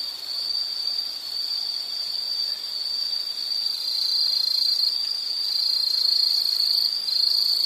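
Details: A continuous high insect trill, shrill and unbroken, that swells gradually louder toward the end. No other sounds stand out.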